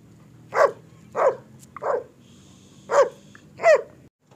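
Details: Barking German Shepherd from a Peshawar seller offering single, double, medium and long coat dogs: five abrupt barks in under four seconds, a slight pause before the last two, with a quiet electrical whine behind.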